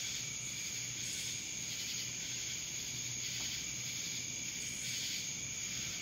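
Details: Cicadas calling in Dallas, Georgia make a relentless high-pitched whirring buzz with mild surges every second or so, over a faint low hum and a steady thin whine.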